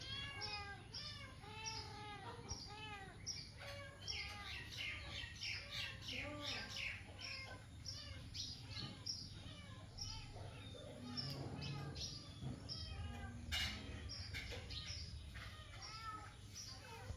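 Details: Up a tree, a cat cries without pause: dense series of high, arching, plaintive mews in quick succession, getting busier and rougher toward the middle, with a low rumble of background noise throughout.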